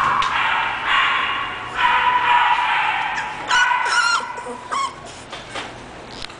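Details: English Bulldog named Carrot giving high, yelping barks in quick bursts, some stretched into brief tonal whines, with short pauses between outbursts and a quiet room background.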